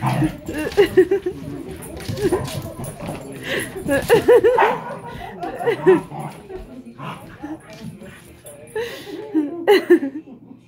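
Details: Excited German Shepherd alongside a shepherd mix, whining and yipping in rapid, wavering high-pitched bursts, with occasional bark-like yelps and human voices over them.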